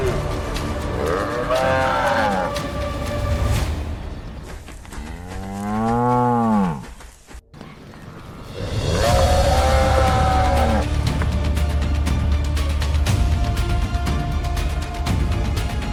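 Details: Wild male African buffalo in Zambia battling for dominance to enforce herd order; three separate moaning bellows, the middle one arching up and down, each lasting about two seconds, with music and low rumble beneath.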